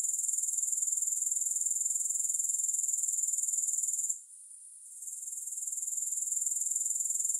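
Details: Grasshoppers in a continuous high, shrill buzzing trill that pulses about four times a second, broken by a brief drop and fade near the middle before the chorus swells back; no music.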